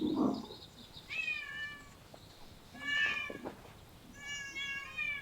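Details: Stray cat living in parks and streets, giving three drawn-out meows spaced about two seconds apart, the last one long and level, over light background hiss.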